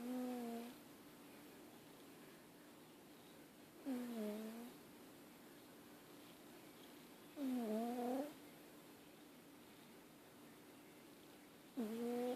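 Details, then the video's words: Sleeping cat snoring indoors: soft, nasal, slightly whistling snores that rise and dip, each lasting under a second and recurring roughly every three to four seconds, over a faint steady room hum. "Cat snoring"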